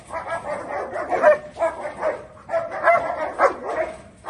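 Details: Angry German Shepherd in India barking in a rough, irregular series of short harsh barks, several overlapping or run together, roughly one burst every second or so, with no other clear sounds.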